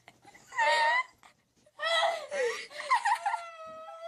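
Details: Domestic cat indoors in a small room, meowing in a funny talking style: a half-second tonal meow, then after a pause a longer, wavering, drawn-out yowl that rises and falls in pitch before trailing off, with faint human voices.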